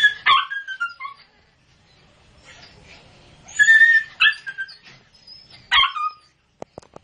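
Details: Newborn Lhasa Apso puppies squeaking and whining in high, sharp cries that drop in pitch, a few bursts separated by a quiet stretch, ending with faint clicks.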